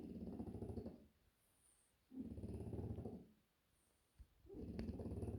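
A French Bulldog snores loudly in deep, rattling bursts, each lasting about a second.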